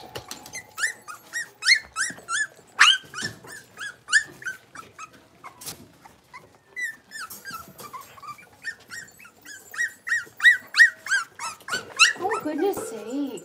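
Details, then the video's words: Five blenheim Cavalier King Charles Spaniel puppies, born on New Year's to Paris and Spike, playing in their indoor puppy pen: a rapid series of high, clear yips and squeaky whines, several a second, rising and falling in pitch, ending with lower whimpering. "Cavalier Puppies Livestream: Playing, Barking, and Learning"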